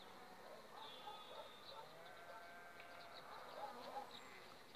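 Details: Humming honey bees of a colony wintered on five frames and building up two weeks ahead of the acacia flow; drawn-out gliding buzz tones of passing bees rise and fall, with scattered high bird chirps around.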